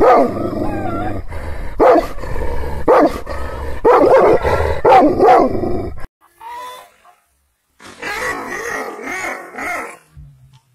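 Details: Wild, angry Kangal shepherd dog, Aksaray Malaklı type, barking and growling. About six seconds of loud, rapid barks come in quick succession, then a brief quiet, followed by a fainter, higher burst of barking.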